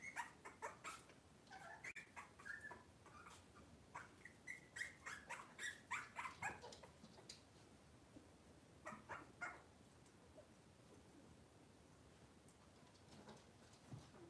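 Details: Cavalier King Charles Spaniel puppies indoors on a kitchen camera, cloudy Monday morning: a run of high, thin whimpers and short yips, several per second at first, then scattered cries among clicks and knocks.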